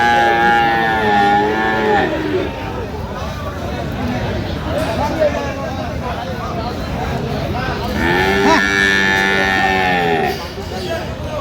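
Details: Friesian and crossbred bull calves at Aftabganj cattle market on 30 December, trading under way; two long, drawn-out moos, the second higher and wavering, over a constant crowd murmur and nearby talk.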